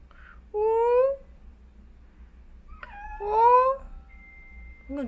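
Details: A young tricolor calico tabby kitten, born April 2021, gives two clear, rising meows about two seconds apart after climbing up high on a shoe closet, whining like a puppy for help down.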